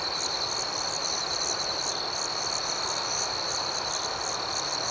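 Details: Crickets at night: a steady high-pitched trill runs through the whole clip, with a second pulsing chirp layered above it in quick, regular beats. There is a faint background hiss and no other sounds.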